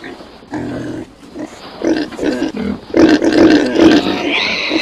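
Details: Domestic pig grunting: a series of low, throaty grunts that grow louder and denser toward the end, uneven bursts roughly twice a second, with a short higher squeal at the close.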